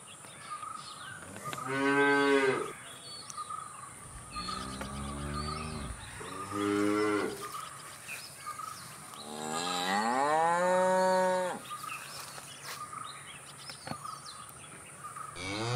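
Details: Cattle mooing, with four long, deep, harmonic moos spread across the recording, several rising and then sagging in pitch, separated by quieter gaps with a faint steady background tone.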